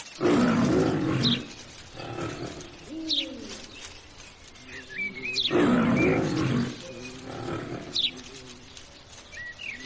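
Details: Lion roaring: a deep, heavy roar opens, followed by grunting rumbles, and the sequence repeats about five seconds later. Small birds chirp with thin, high whistles in the background.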